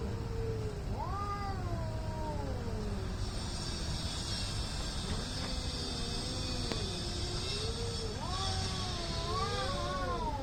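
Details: Cats fighting and making weird noise: low, wavering moans that climb into undulating yowls, sustained and rolling, over a hissy, rumbling background.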